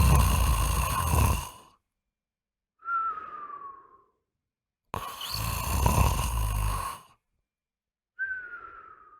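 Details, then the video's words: Sleeping pet dog snoring at night, loud enough to seem like an earthquake shaking the house: two long rough rumbling snores, each followed by a thin whistling tone that slides downward, with silent gaps between breaths. "Cachorro roncando faz a casa tremer"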